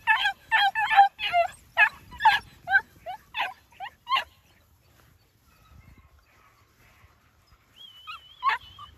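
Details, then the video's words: Huntaway puppies from New Zealand yapping in quick high-pitched barks, about a dozen sharp yips in four seconds, then a pause before a thin wavering whine and a few more squeaks. "NZ HUNTAWAY PUPPIES"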